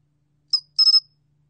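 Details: One chirp phrase of the 솔귀뚜라미 cricket, recorded in 2020 by the National Institute of Biological Resources: a single sharp high pulse, then a brief pause and three fused, buzzy pulses.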